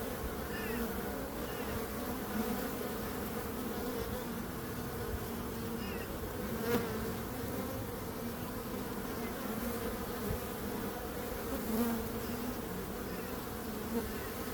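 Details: Steady hum of many bees, a thick droning buzz that barely changes in loudness, with occasional brief louder passes of individual insects over the constant swarm noise.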